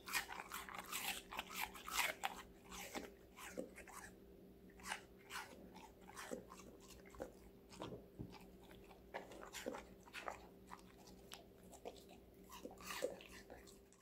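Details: Loud, crisp crunching from a five-month-old female Golden Retriever named Connie munching various vegetables; bites snap out roughly every half second, heaviest at the start, with a soft electrical hum behind.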